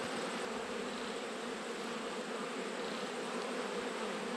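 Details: Thick, unbroken roar of a honey bee colony in autumn, heard during an inspection of backyard hives in Australia. The buzzing is loud and continuous, with no pauses.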